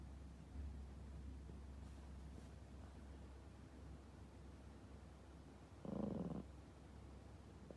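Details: Sound-asleep pet Toy Poodle Popo, snoring loudly; a single short, gravelly snore roughly six seconds in, otherwise only quiet breathing and a constant low background hum.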